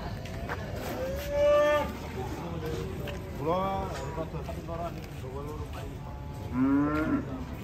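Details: Unruly cattle unloading from a truck, calling in three strained, higher-pitched moos spaced a couple of seconds apart. Each bellow swells and fades. Talking and shuffling continue underneath.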